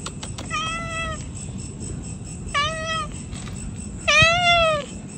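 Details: Pregnant cat giving three clear meows: two moderate, level-toned calls followed by a louder, longer one that bends downward at the end, with soft faint clicks between calls.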